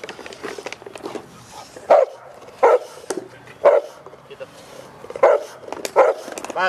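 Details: Cane Corso raised in a family environment barking, about five distinct loud barks spaced roughly one second apart, followed by a person saying "basta, basta".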